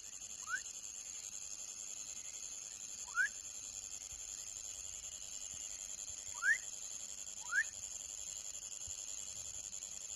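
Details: Baby frog giving four brief, quiet upward-sweeping chirps at irregular gaps across ten seconds, set against a steady high-pitched hiss.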